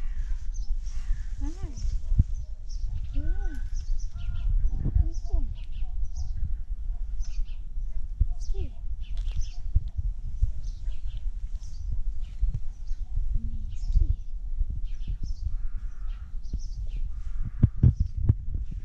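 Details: Short arched meows from a tabby cat described as asking for food, repeated every couple of seconds at the start, with outdoor chirping, rustling and a few loud knocks near the end.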